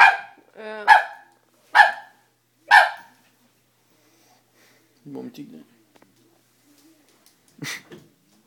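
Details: A scared Dobermann puppy facing a stuffed toy barks four times at roughly one-second intervals, followed by a quieter low grumble and a final lone bark after a short silence.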